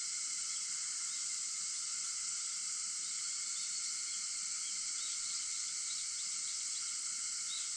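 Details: Early-morning cicada chorus recorded at 4:50 a.m. on August 4: a continuous shrill sizzling wash of overlapping insect voices, even in loudness, with lower steady droning tones underneath.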